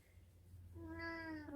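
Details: Domestic cat indoors, flirting and asking to be petted, giving a soft, drawn-out meow that starts faint and grows, steady in pitch then dipping at the end, over low room hum.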